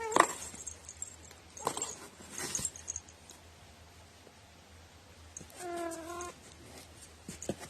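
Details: Pet cat known for its odd, quirky meowing, recorded 21 April 2018: after soft rustling, one steady, level, nasal meow lasting under a second with strong stacked harmonics, indoors with low hum.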